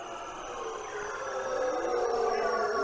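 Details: Bearded seal mating call: long, sliding tonal notes layered over one another, drawn out and slowly gliding downward in pitch, with a steady wavering quality and no other sounds.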